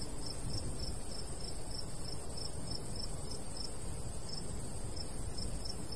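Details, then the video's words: Summer crickets in golden wheat fields, giving bright, clipped chirps roughly four per second with brief gaps, carried over a constant low hiss of light breeze. "Countryside/cricket sounds"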